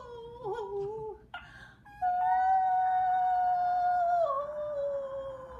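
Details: Pixie, a pet Schnauzer, howling indoors, as she usually does when service vehicles pass the house with sirens blaring; long sustained tonal howls with harmonics, a short wavering one first, then a steady drawn-out note that drops in pitch near the end.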